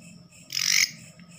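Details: A katydid that wandered into a house at night gives one loud, harsh rasping burst lasting about a third of a second, with a faint low hum underneath.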